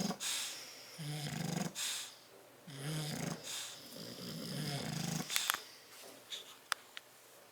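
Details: Sleeping in their crate on 30 October 2012, bulldogs Tyson and Tyra snore in raspy, rattling pulls about every second, then quieten; a few sharp clicks follow near the end.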